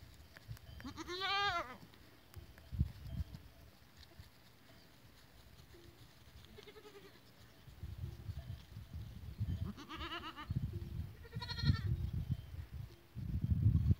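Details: Goats on 14 April 2023: three short quavering bleats, one early and two close together near the end, over steady low rumbling and handling noise.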